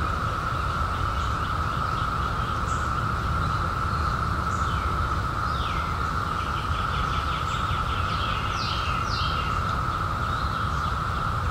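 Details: Steady monotone cicada drone from cicadas emerged in 2021 after 17 years, with clusters of rapid, sweeping bird chirps around the middle and end and a low rumbling noise underneath.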